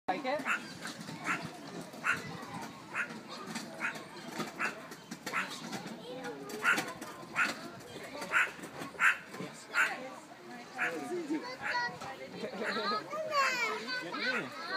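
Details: A meerkat at the Adelaide Zoo, standing on a raised perch, barks at everyone with sharp, yappy barks roughly every second over a murmur of human voices.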